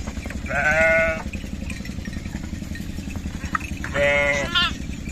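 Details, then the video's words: Lamb enjoying itself among other sheep, giving two loud, wavering harmonic bleats, one near the start and one near the end, separated by a pause, over a steady low rumble of background noise. "Baby Sheep Making Cute Noise and Enjoy With other sheep"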